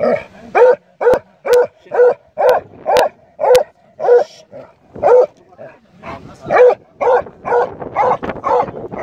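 A Plott Hound gives loud, rapid barks, about two each second, while hunting wild boar.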